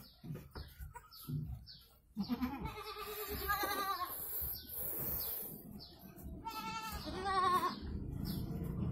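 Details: Goat in Indonesia giving birth to two kids, with repeated quavering bleats in two bursts, some overlapping, plus recurring high descending chirps and low background noise.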